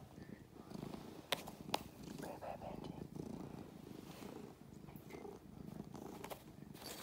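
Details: Pet cat playing on a chair, purring in a low, continuous rumble throughout, with two sharp clicks early on and faint background noise.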